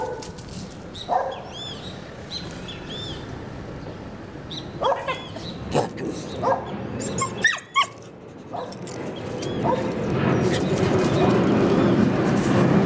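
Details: Shirra the Border Collie getting acquainted with a neighbour, giving high, pitch-bending yips and whines early on, then a run of quick barks about four per second, before broadband noise swells toward the end.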